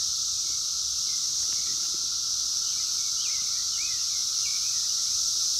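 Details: Wild Brood X 17-year cicadas, 2021, phone-recorded: a smooth, unchanging high drone and a fainter steady lower whine, with a few soft chirping bird notes and little other noise.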